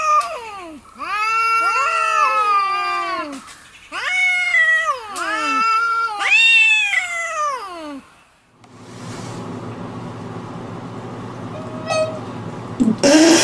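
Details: Domestic cat giving three long, drawn-out meows, each rising then falling in pitch with rich harmonics, followed by a stretch of rushing noise and a few faint clatters.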